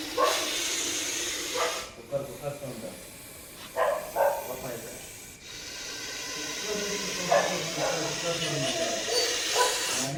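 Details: A large Russell's viper, rescued and later released into the wild, hisses with long breathy rushes. Each rush is broken by short pauses, and men talk over the sound near the snake.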